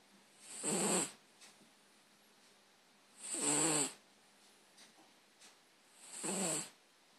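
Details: Sleeping cat named Ginge, a former stray, snores in three drawn-out raspy breaths about every three seconds, each with a whistly hiss on top and a low fluttering rattle beneath.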